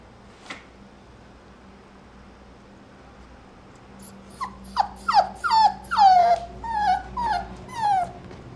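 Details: A mixed-breed puppy weighing 1.5 kg on 6 October 2023 whimpers after four quiet seconds: a run of about nine high, thin whines that slide downward, coming roughly twice per second over a low background hum.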